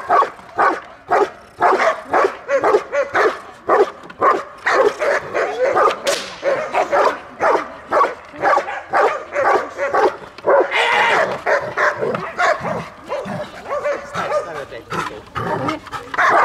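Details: Belgian Malinois guarding its female owner during protection training in Dukovsky Park, Odesa, Ukraine; rapid, harsh barks repeated about twice a second in a steady, insistent volley, with a brief higher yelp midway.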